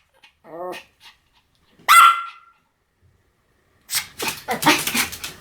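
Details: Pomeranian letting out a short wavering whine, then a single sharp high bark, followed by a burst of harsh broadband clattering noise.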